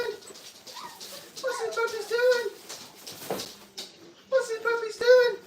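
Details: Five-week-old Brittany puppies whimper from their crate at a training kennel. Drawn-out tonal whines come in two main runs, with some bending upward, separated by a quieter gap with rustling.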